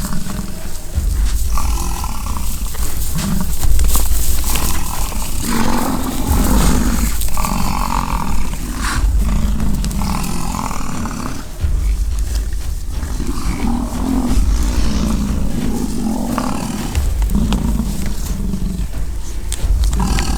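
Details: American bison clashing during the rut on a ranch at Fort St. John in British Columbia, Canada: repeated low, grinding roars in a steady run, with wind rumble underneath.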